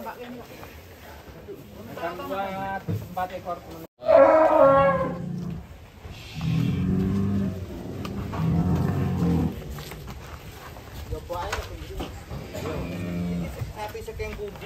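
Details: Monster-sized sacrificial cattle going up onto a lurching truck in Indonesia, 2022: a sudden loud, higher bellow, then a longer low moo, amid talking voices and handling noise.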